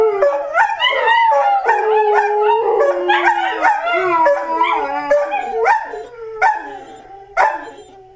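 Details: Three pet dogs howl along to a new clock that plays a tune every hour. They give long wavering howls that overlap and slide up and down, then finish with several short howls about a second apart.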